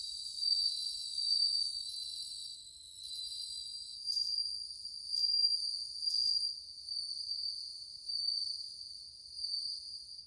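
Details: Numerous bell crickets, suzumushi, chorus in August 2020 with a cool ringing tone; continuous high tinkling trills rise and fade in loose waves, several singers overlapping.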